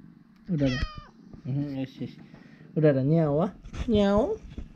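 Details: Urara, a friendly former rescue cat, talking with her owner indoors: drawn-out, wavering meows that rise and fall, four in a row, over a soft low continuous purr, with brief bits of human speech.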